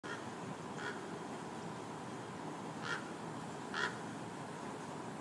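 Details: Meerkat. Brief, raspy calls from a meerkat break through a constant hiss, each a quick nasal burst. The calls come singly at uneven intervals, with the last two louder than the first.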